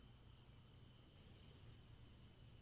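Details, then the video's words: Steady chorus of crickets: an unbroken high trill carrying regular brighter chirps several times a second, backed by a quiet low droning hum throughout. "Crickets Chirping"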